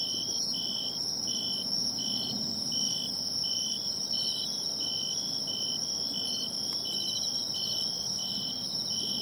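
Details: Seaside bell cricket, tracked down by its sound, sings a run of clear, ringing trills, each about half a second long, repeated at an even pace of roughly one per second, over a constant high insect hiss.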